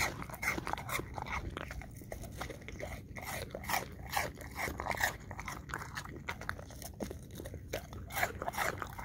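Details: An English Cream Golden Retriever eating apple chunks indoors: wet, crunchy bites and chewing clicks repeating about twice a second, uneven in rhythm, with a steady low background hum.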